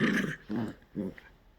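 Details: Poodle asked over and over for its paw lets out three low, rumbling grumbles spaced about half a second apart, the first longest and loudest, with a faint squeak at the end, indoors.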